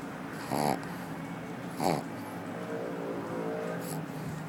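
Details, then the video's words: Sleeping female pug at an office, snoring: two short rasping snores about a second apart, then quieter breathing over a constant background hum. "Pug Snoring at the Office"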